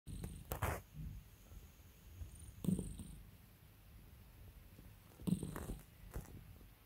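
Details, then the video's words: Domestic cat purring while its owner calms and spoils it: a soft, low, rumbling purr rising and falling with breaths, broken by sharp rustling and handling noises about every two to three seconds. "CAT PURRS"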